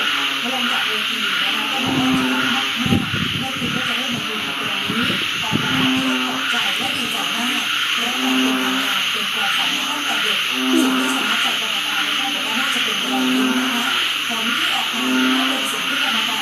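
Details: Frog chorus at a house at the onset of the rainy season: short buzzy low calls repeat every second or two for the whole stretch, with a steady shrill hiss overhead and clattering noises between two and six seconds.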